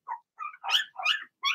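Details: Young Cavalier King Charles Spaniel puppies, Blenheim litter of six, indoors in their puppy pen: a few squeaky, high-pitched barks, rising and strained, five quick bursts.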